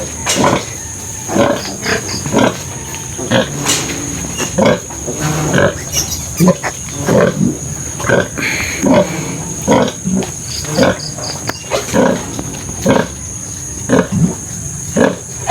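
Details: Sow and her piglets after farrowing, only five surviving of twelve; repeated short low grunts at an uneven pace over a long stretch, mixed with occasional human voices nearby.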